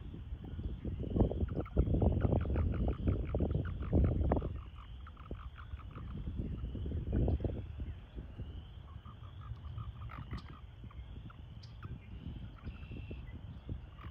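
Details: American toads in a breeding pool during breeding season, calling and engaging in amplexus; a loud pulsed, buzzy trill runs for about three seconds, returns briefly near seven seconds, then fainter trilling over a steady high hum and low rumble.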